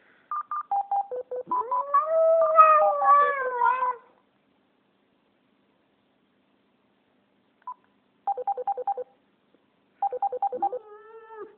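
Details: Pet Japanese Spitz howling at a phone in a small room: one loud, sustained, quavering howl that rises then slowly sags, set among runs of stepped electronic beeps, followed by silence, more beeps and a faint closing howl.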